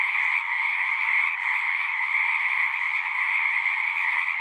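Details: Frogs at a horse-pasture pond sing together in a constant, buzzy trilling chorus, Zoom recording; overlapping voices form a seamless, level drone of rapid pulses.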